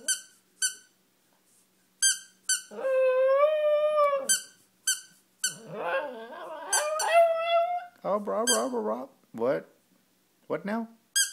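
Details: Joey, a pet dog, howls at a squeaky toy: one sustained, even howl of about a second and a half, then a wavering howl mixed with a person talking, with bursts of high toy squeaks throughout.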